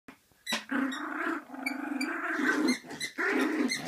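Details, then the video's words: Small dog growling while playing: a sustained, tonal, voiced growl running almost three seconds, then a brief pause and a second, shorter growl. "Small dog, Big growl"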